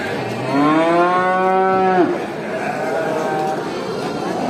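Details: Cow in a large village herd walking back to the barn after grazing gives one clear moo lasting about two seconds, rising slightly then dropping sharply at the end, with fainter mooing and herd noise behind.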